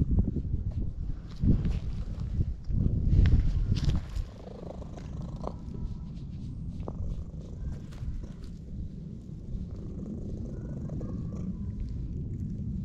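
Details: A ginger tabby stray cat being petted in a park gives a very loud purr, recorded on a GoPro HERO8. The low vibrating purr is strongest in the first four seconds, then continues evenly, with scattered rustles.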